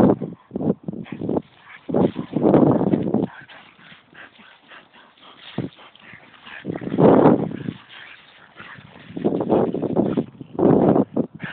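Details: French Bulldog out on a walk giving short whimpering and yipping calls in bursts, several grouped calls around two, seven and ten seconds, with rustling between.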